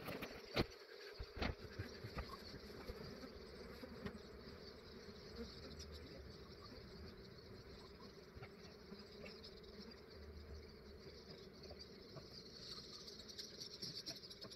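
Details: Australian honey bee swarm, described as massive, collected early in the morning before warming up; an even, dense buzzing drone throughout with a few sharp taps near the start.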